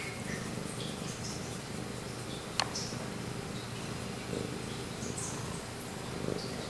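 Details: Male pet cat named Pumpkin purring right up against the recorder. A low, steady, rumbling purr runs throughout, with faint soft clicks and rustles above it and one sharp tap partway through.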